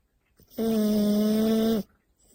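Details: Sleeping French Bulldog snoring indoors: a single steady, tonal, whistling snore lasting just over a second with strong stacked harmonics. Near silence before and after.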